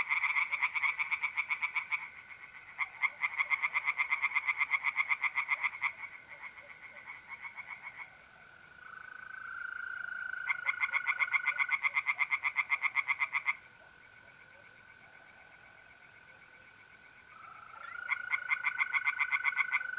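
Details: Mid-April night at a pond in North-East Italy: tree frogs sing in several bursts of fast, pulsing croaks lasting a few seconds each, with quieter gaps between, while mole crickets keep up a steady, unwavering trill.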